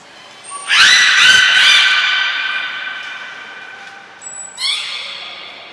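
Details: Training session with belugas Gray, Nana and Mirai at Port of Nagoya Public Aquarium on 7 June 2022. A loud, rich, buzzy squawk lasts over a second and fades through the echoing hall, followed by a shorter squawk and a thin high tone.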